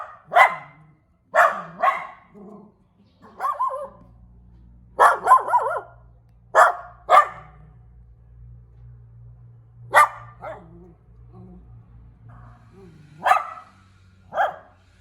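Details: Small puppy giving high, sharp barks and yips, singly and in quick pairs, spaced a second or more apart, over a steady low hum in the background.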